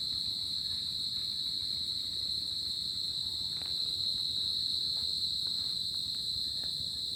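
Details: A constant shrill cricket trill on a summer night, holding one high pitch throughout, with faint scattered ticks and low background hum.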